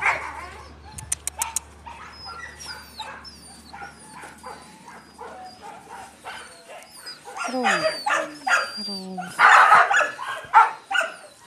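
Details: Yakutian Laika puppies, grubby from play, beside their mother Rumba, give thin whistling whines and sharp yips. Drawn-out falling whimpers come near the middle, then louder, harsher yelps in bursts toward the end, over low background noise.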